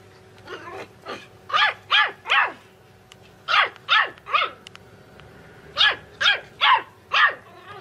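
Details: Puppies barking in clear, tonal, arched yaps grouped in threes and fours. Each run of barks is separated by a short pause, over a low steady background hum.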